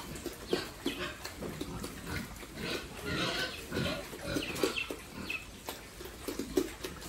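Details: A family's farm pigs grunting: short, low, rough grunts repeated in quick irregular succession, mixed with a few brief higher squeaks over a background of shuffling noise.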